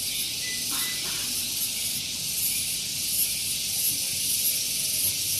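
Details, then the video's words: Loud cicadas on Gunung Geulis, Bogor, West Java, Indonesia, on a morning near a vehicle parking area: an intense high, steady buzz with slight rhythmic pulsing, plus brief faint lower tones early on. "Relaksasi Suara Tonggeret || Santuy Pagi Ditemani Suara Tonggeret"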